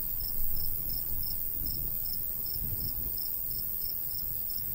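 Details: Cricket chirping in summer countryside by a golden wheat field: thin, high chirps repeated about four times a second in a steady row, over a low, rumbling light breeze.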